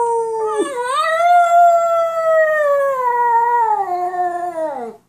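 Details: Domestic dog answering back to its owner with one sustained, tonal howling whine about five seconds long, rising slightly at first, then holding steady before sagging and fading out.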